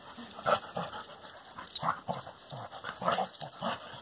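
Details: Two dogs, a corgi-labrador mix and a labrador, playing together; soft breathy bursts and low whimpering grunts come in quick irregular pulses about every half second, fairly quiet, with faint background hiss.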